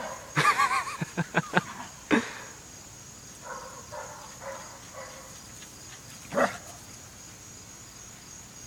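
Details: Jack Russell Terriers, a trio of dogs, let out a quick burst of five or six sharp barks, then single barks spaced seconds apart, with soft whining between them and a person talking nearby.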